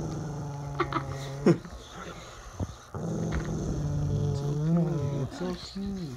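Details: Growling from mastiff and shepherd dogs: long, deep, throaty rumbles in two main bouts, the second rising and wavering into snarling inflections toward the close.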